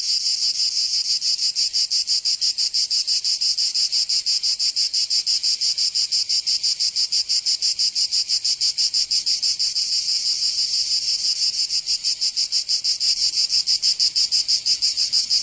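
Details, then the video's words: Massed cicada song in summer in Provence, France: a piercing, hissing whine pulsing steadily about three times per second, very regular and continuous, with no birds or voices. "Canto Cigarra 🦗 [ Escuchar les cigarras en verano 10 H]"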